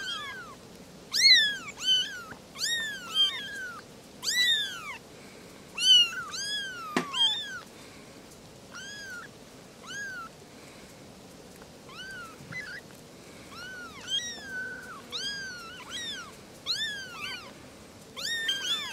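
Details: Three small kittens talking over each other with a steady stream of high-pitched, arching mews, some overlapping, coming thick in the first half and more spaced later, with one sharp knock midway.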